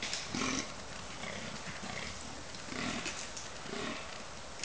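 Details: Fallow deer bucks rut and fight in October 2011 at Cannock Chase; a buck gives deep, belching groans, repeated about every second or so.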